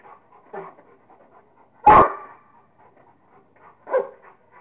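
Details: Playing with a squirrel, Kingston the Rottweiler lets out one strong bark mid-clip, framed by softer huffs, muffled grunts and light background rustle.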